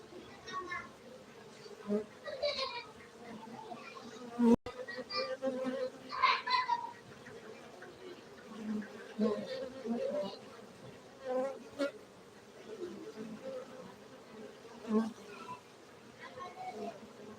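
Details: Steady droning hum of farmed honey bees in Gayo, Aceh, Indonesia, with loud close fly-by buzzes, a sharp click near four and a half seconds, and scattered human voices behind the swarm.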